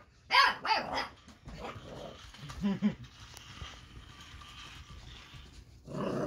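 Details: Eight-week-old Boxer puppy Baron barks and growls at the Ollie robotic toy. Two sharp, loud puppy barks open, followed by softer grumbling growls, then a noisy rushing burst at the close.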